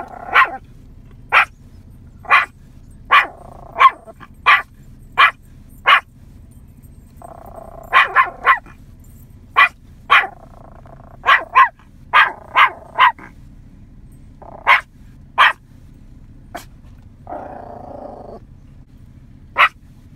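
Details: A 9-month-old Yorkshire Terrier gives sharp, high yapping barks in a steady series, roughly one each second, as if calling in cows scattered in a field.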